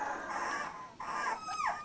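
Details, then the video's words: Labrador Retriever puppy, 14 days old, from Litter J: continuous high whining whimpers with wavering, sliding tones, a short break near the middle, then a descending squeal. "Puppy 14 days old labrador retriever"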